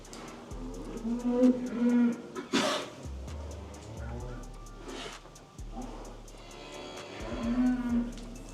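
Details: Young bulls on a cattle farm give deep, sustained, even-pitched moos of about a second each while a man talks between calls. Small calves mooing nearby are about to be fed, and faint background noise runs throughout.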